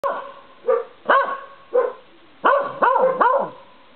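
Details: A corgi outdoors at night under a porch light gives short, rising-and-falling howling yelps and barks, the last three in quick succession, while another dog barks behind the front door in the background.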